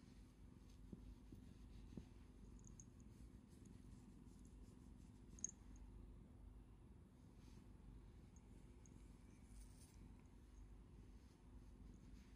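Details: Domestic cat purring while seeking affection, rubbing its face against a hand and stretching out a paw to show its pads; a steady low rumbling purr runs throughout, with a few faint clicks.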